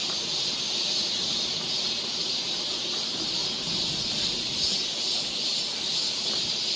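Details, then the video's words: Korean summer forest near Seoul, where cicadas keep up a continuous hissing, high buzz that swells slightly and fades in gentle waves, with almost nothing beneath it. "cicada sound"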